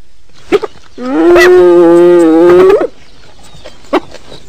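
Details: A single hyena call, a long, even, low groaning moan held for about two seconds that tilts upward at the end, framed by a few faint clicks and taps.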